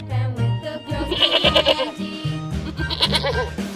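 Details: Trembling, vibrato goat bleats, a longer shaky cry at mid-clip, then a brief second one, heard over bouncy music with a repeated low beat.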